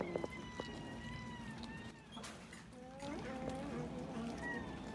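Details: Domestic cats eating raw fish at feeding time: long, steady meows sounded one after another, then a lower, rising cry partway through, with clicks and handling noises around them.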